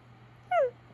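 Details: Siberian Husky looking disappointed, giving one short falling whine lasting a fraction of a second, over a steady low electrical hum.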